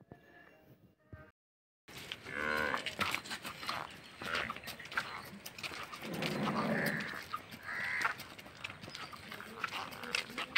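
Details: A water buffalo offered for sale in Guntur, Andhra Pradesh, gives a drawn-out lowing moo at mid-clip, with people talking nearby and a short silent gap near the start.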